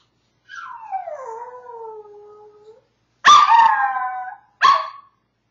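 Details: Maltese dog howling from separation anxiety: a long howl sliding down from high to lower pitch and wavering for about two seconds, then two shorter, louder yelping howls falling in pitch, indoors with no other sounds.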